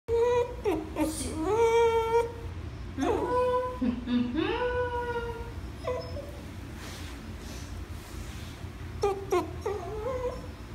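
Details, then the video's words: Dog whining in an indoor space: high, tonal whimpers that slide up and down in pitch, coming in drawn-out bursts with short pauses between them, over a low steady background hum. "Dog whining"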